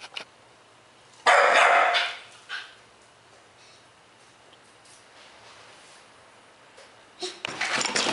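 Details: A roughly 3-month-old Bull Terrier puppy, playing when he saw his owner, gives a sharp, high yelping bark, wanting to be let out.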